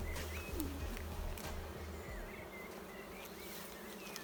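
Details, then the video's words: Honey bees in a queenless, drone-laying hive (ruche bourdonneuse), starting to get agitated as the hive is opened: a low, steady droning hum with pulsing low tones underneath and faint whistled bird notes in the background. "C'est quoi une ruche bourdonneuse ? Je découvre avec vous que mes abeilles n'ont plus de reine..."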